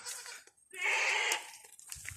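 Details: Domestic male goat (buck), one of a growing herd of kept goats, crying out: a single harsh, wavering bleat lasting about half a second, rich in stacked harmonics, with rustling around it.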